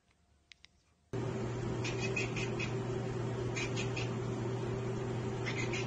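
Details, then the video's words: A house cat watching a bird or insect it cannot get to makes quick clicking chatter in several short bursts. A loud constant hum and hiss fill the background. "Cats Ekekekeke Compilation - Cats chattering at birds!"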